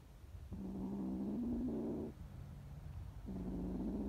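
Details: Frightened street kittens; low, flat, nasal mewing sounds held for about a second and a half each, two calls over a rumbling background.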